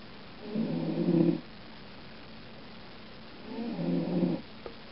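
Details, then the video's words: Pet cat Lulu asleep inside a dark cat carrier, giving two drawn-out low raspy snores about three seconds apart, each swelling then fading, in a quiet room. "Lulu snoring"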